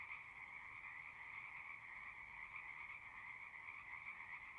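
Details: A distant chorus of frogs singing across a horse pasture, recorded on a Zoom 6: faint, even trilling in two layered tones, continuous and quiet, over low background rumble.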